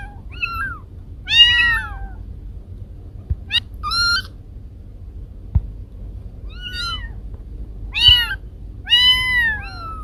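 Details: Pet cats Kiko and Koko meowing at home in a compiled recording: widely spaced meows, some short and rising, others drawn out and falling at the end, with a few faint taps between calls and quiet low rumble.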